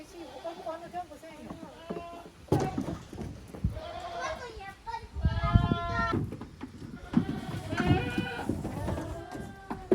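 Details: Kids playing boisterously in a goat farm's exercise yard on 30 April 2023. Repeated tremulous bleats overlap, with sharp thuds and a burst of scuffling midway.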